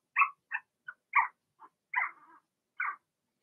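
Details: Cavalier King Charles Spaniel puppies from a six-puppy Blenheim litter, kept in an indoor pen; seven scattered high squeaks over three seconds, irregularly spaced, one trailing off into a brief low whine.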